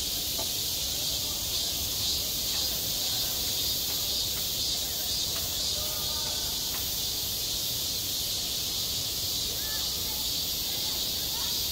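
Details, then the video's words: Cicadas singing at a school playground in high summer: a dense, steady, shrill hiss fills the upper range without a break, with only faint scattered clicks and soft background murmur beneath. "한 여름 운동장에서 매미가 울고 있다"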